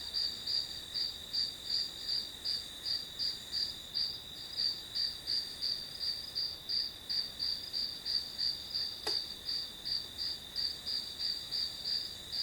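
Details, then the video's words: Grass insects chirping behind a one-hour study-with-me session, a shrill high trill pulsing evenly about three times a second, with a single sharp click partway through. "풀벌레 소리"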